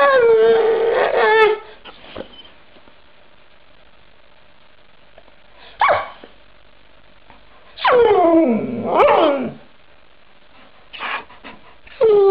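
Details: Snow dog 'talking': a wavering howl opens, then after a quiet stretch a brief yip, then a pair of steeply falling, moaning vocals, and finally short bursts, separated by gaps of near silence.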